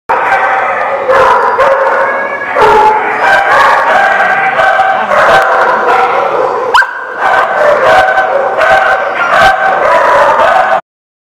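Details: Dogs at The Barking Lot, recorded 12/10/18: loud, steady whining and howl-like tones run almost without pause, broken by sharp barks at irregular intervals, with a short sliding yelp near the middle before the noise resumes.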